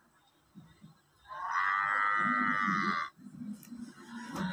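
A water buffalo gives a loud, drawn-out call, steady and slightly nasal, lasting nearly two seconds.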